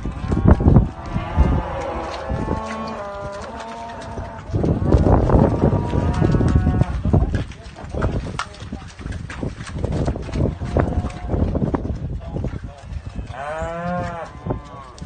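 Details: Hereford cross cows giving a few long, wavering moos among continuous low rumbling background noise and scattered clatter, with one clear harmonic-rich moo near the end.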